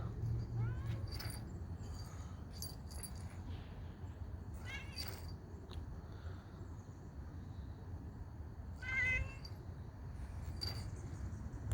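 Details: Cat outdoors, rolling around during a walk, with a few short meows, one near the middle and a louder one toward the end, over steady low background rumble and some clicks.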